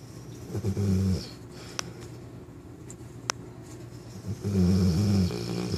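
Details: Napping Newfoundland puppy, nine months old, named Mila: a short low snore early, a hushed gap with a couple of faint clicks, then a longer guttural snore toward the end.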